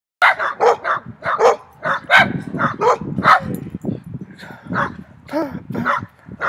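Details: Three dogs barking very loudly at the person recording: rapid, harsh, irregular barks in quick overlapping bursts, about one and a half per second, with several low voices mixed between the barks.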